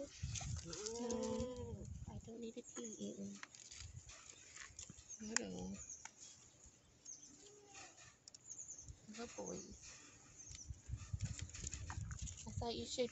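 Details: Herd of goats reunited in summer 2021 bleating at intervals: a drawn-out wavering cry early on, then shorter nasal bleats, mixed with a woman's affectionate chatter and shuffling hooves.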